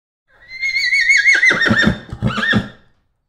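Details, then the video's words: A horse gives a loud whinny: a high, quavering note that slides down into a shaky, breaking nicker, then a short second burst. "Horse - Animal Sounds"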